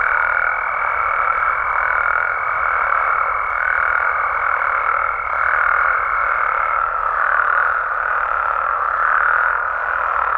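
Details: Mexican frogs and toads at night form a constant massed croaking drone with soft rhythmic surges; a level high whine holds over it until nearly seven seconds, then drops out.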